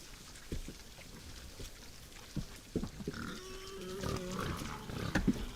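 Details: Night-time wild boars at a woodland feeder give short, deep grunts at irregular intervals, growing busier and slightly louder toward the close.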